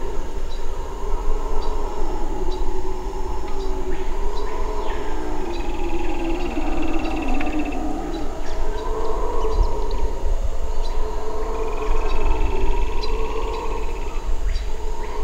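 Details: Red howler monkeys in Suriname roar in a deep, continuous droning chorus of overlapping, swelling tones that rise and fall without pause, over a steady high insect whine and scattered bird chirps.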